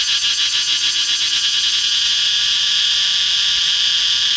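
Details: Close-up cicada perched on a red flame tree trunk, singing a dense shrill buzz with a fast pulsing throb in the first half that smooths into an even drone.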